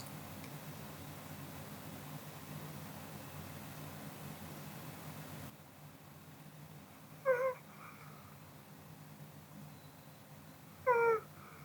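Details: Kodama, a Pomeranian, sleeps indoors after a meal. After a stretch of quiet room hum, two brief, tonal, slightly nasal snores come about three and a half seconds apart.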